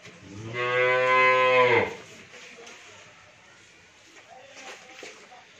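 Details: Nine-month-pregnant Friesian cow, a first-time mother, raised by a family on a dairy farm in Bhangura, Pabna, Bangladesh, gives a single loud, steady moo lasting over a second with rich harmonics, then quiet farmyard background with faint distant sounds.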